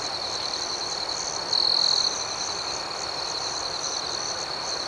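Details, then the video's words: Night-time crickets form a continuous high-pitched drone, with a softer throbbing layer above. Midway through, one nearby cricket adds a single louder trill lasting about half a second. "Soothing Cricket Sounds"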